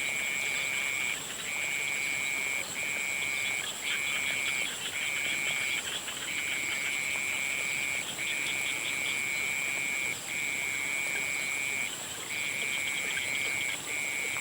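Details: Frogs at sunset trilling steadily, each high, level trill lasting about one to two seconds before a short break, with faint ticking calls and a constant shrill drone behind.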